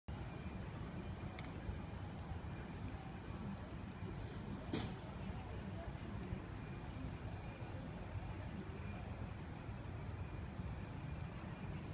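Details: A steady low rumble of traffic with a couple of brief clicks and thumps, and no animal voice.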